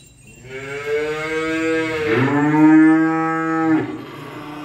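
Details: A single long moo from cattle during unloading, lasting over three seconds, starting steady, dipping and swelling midway, then holding a sustained, rich tone before stopping abruptly.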